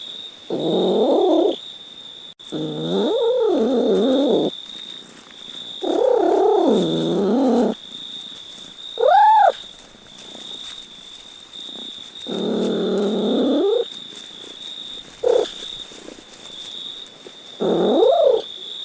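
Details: Series of about eight cat meows: several long wavering nasal wails, a short clean arched mew, and brief chirpy calls, spaced irregularly with quiet gaps and a steady high background whine.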